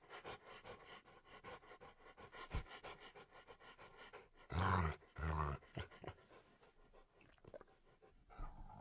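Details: A Labrador Retriever pants steadily and rapidly, with two louder, longer breathy vocal bursts in the middle, heard over a constant low background hiss.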